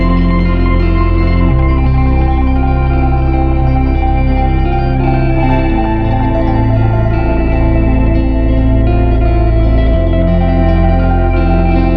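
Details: Steady organ-like music with sustained chords and shifting bass notes throughout; no animal voices are heard.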